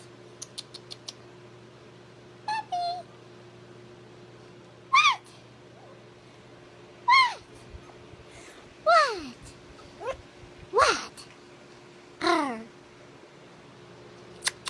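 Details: A little Yorkie puppy called Scrappy Doo, rescued from a puppy mill, lets out thin falling whimpers, first sparse and then closer together with about six in the last eight seconds, over soft tapping and a steady low hum.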